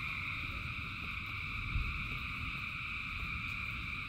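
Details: Many frogs calling in rain, merging into a steady, dense chorus of continuous high-pitched trilling tones in several layered bands, over a low rumbling patter of rainfall, with one brief low thump midway.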